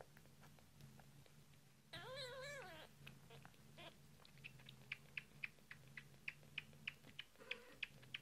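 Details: British Shorthair/Longhair kittens, just a few days old, being fed indoors; one wavering, slightly rising then falling mew lasts about a second, followed by steady rhythmic clicking feeding sounds over a low hum.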